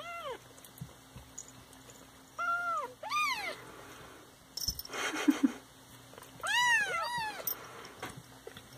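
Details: Siamese cats giving short arched meows, a few spaced calls then a pair of overlapping ones near the end, with a brief rustling noise in the middle and a faint steady hum throughout.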